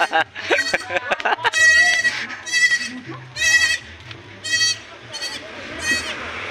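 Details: Newborn goat kids, two said to be born of a dog, bleating in a series of nasal, quavering cries about once a second, with human voices and chatter at the start and throughout.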